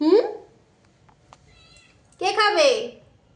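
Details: Cat in a small room utters a brief sharp mew, then after a quiet pause a longer loud meow that rises and falls, with a couple of soft clicks between.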